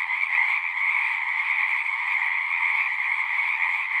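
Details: Frog chorus from a pond in a horse pasture, recorded with a Zoom recorder: a continuous, shimmering wall of overlapping trills in two pitched layers, even in loudness, with no other sounds standing out.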